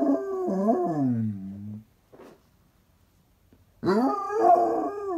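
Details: Basset Hound howling indoors: a long, wavering howl that slides down in pitch and fades, a short pause with a faint rustle, then a new rising, quavering howl that continues to the end.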